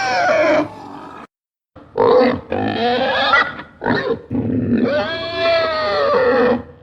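A pig gives harsh, rasping squeals broken by snorty grunts, ending in a long wavering shriek.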